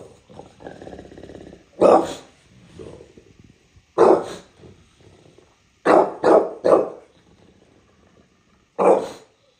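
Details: A bulldog named Junior in New York City barking: loud, sharp single barks and a quick burst of three, spaced a few seconds apart, with low grumbling and growly sounds between them.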